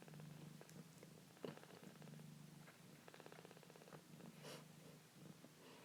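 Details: Purring foster kitten, held close indoors; a low, pulsing rumble repeats in quick steady cycles, with a few sharp clicks and rustling over it.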